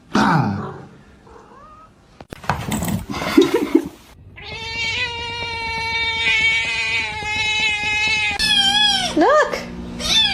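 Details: Pet cat giving a long, drawn-out yowling meow held at a steady pitch for about four seconds, followed by a couple of shorter rising-and-falling meows; brief thumps, rustling and other mixed noises come before it.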